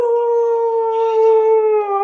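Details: A cocker spaniel in Hosur howls in one long, steady, mournful note that sags slightly in pitch.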